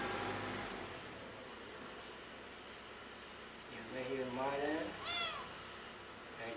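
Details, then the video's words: Pretty the cat meowing very loudly while missing its mother: after four quiet seconds of low hum, two rising-falling meows follow closely, the second sharper and higher. ""PRETTY" Meow Very Loud To Miss The Mother"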